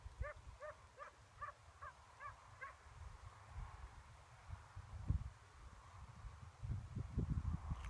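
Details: Bracco Italiano, an eight-month-old female named Nelly, on her first hare hunt outdoors; a run of about seven short, high yelping barks in the opening three seconds, then rustling and footsteps through vegetation.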